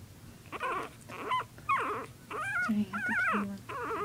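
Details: Puppies in rough play make drawn-out, wavering whine-growls, one after another with barely a pause, rising and falling in pitch, over a low steady hum.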